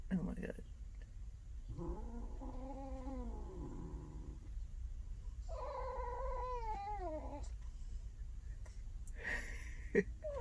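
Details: Large male trucker cat asleep, twitching as if in a fight, gives two drawn-out moaning growls with rising then falling pitch, each lasting about two seconds, with a person's voice briefly at the start and end.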